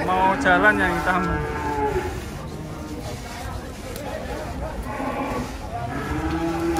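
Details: Big cattle raging while unloaded from a truck give harmonic moos, a strong long bellow at the start, then quieter lowing later, over a busy rumbling background.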